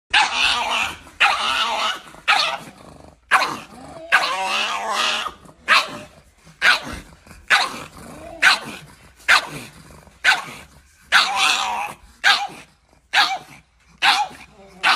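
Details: Chihuahua that lost its home because of a jealous dog, now with a new owner; short harsh barks and growly bursts repeat about once a second, separated by brief silences.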